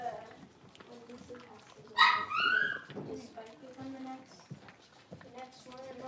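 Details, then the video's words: A blenheim Cavalier King Charles Spaniel puppy, one of a litter of five born at New Year, playing in an indoor puppy pen. A single sharp, high yelping bark with falling tone stands out over steady human speech. "Cavalier Puppies Livestream: Playing, Barking, and Learning"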